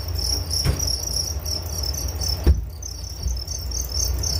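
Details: Crickets chirping for relaxation and sleep: a steady high pulsing trill runs throughout, with a low rumble beneath and two brief knocks.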